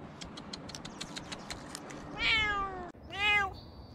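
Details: Rescued cats: after a run of sharp clicking taps, two meows follow, the first drawn-out and falling, the second shorter and rising then falling, with rich harmonics and faint background hiss.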